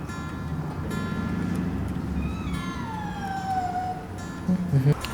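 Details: A limping Scottish Fold cat, being taken out for a vet checkup, gives a long, drawn-out, downward-sliding meow, sounding anxious; she normally doesn't cry.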